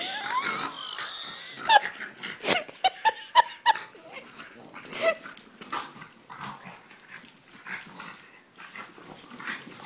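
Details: French Bulldog and English Bulldog wrestling in play, round two: high thin whimpers and short sharp yips in a quick cluster, mixed with wheezing snorts, panting and scuffling.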